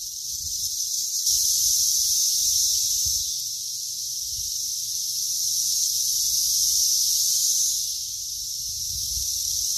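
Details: A cicada's steady, high, hissing buzz drones on without a break, swelling and fading slightly, during grass cutting.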